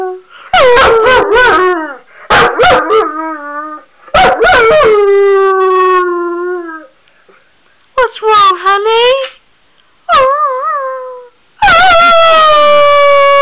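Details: Weimaraner dog, male, howling from separation anxiety when left alone: repeated bursts of wavering, yipping howls separated by brief pauses, ending in a loud drawn-out cry, with a woman's comforting voice in the background.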